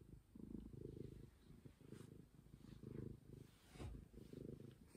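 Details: Stray cat purring steadily indoors, a low rumbling drone swelling and fading in soft pulses about once a second, with no other sounds nearby.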